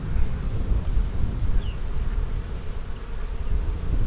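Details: Honey bee colony, split from the main hive on March 4, heard during an April 15, 2017 hive inspection: a dense, low, unbroken hum, with no voices.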